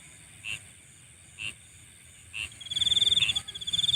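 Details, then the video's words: Insects calling at night: short high chirps spaced about a second apart, then a rapid, high-pitched pulsing trill that starts partway through and runs to the end, over a faint low rumble. "Nighttime Insect Sounds"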